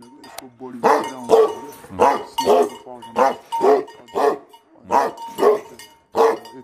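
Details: Aggressive, angry Tibetan Mastiff dogs give a string of loud, harsh barks at an uneven pace.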